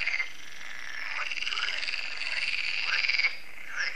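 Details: Frogs calling in chorus at a lake in France in the evening; a dense band of harsh, buzzing croaks, with quick pulsed rattles near the end standing out above the mass.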